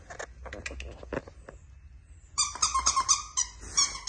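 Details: Yorkshire Terrier (Canis lupus familiaris), yips.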